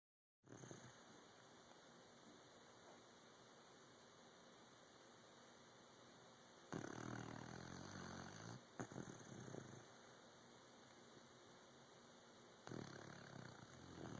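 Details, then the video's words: Sleeping puppy snoring indoors: long near-silent stretch, then a loud rasping breath burst lasting about two seconds, followed by another snore starting near the end. "Snoring Puppy"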